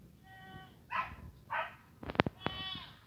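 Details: Saanen goat fed dried seaweed: a short tonal bleat opens, followed by two harsher noisy bursts and sharp clicks, then a second wavering bleat that dips at its end.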